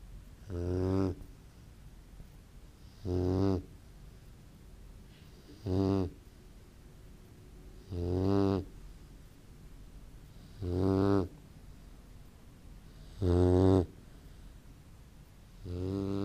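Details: A sleeping Great Dane puppy snoring: deep, rasping breaths at steady intervals of about two and a half seconds, each a short rough burst over a quiet background hiss.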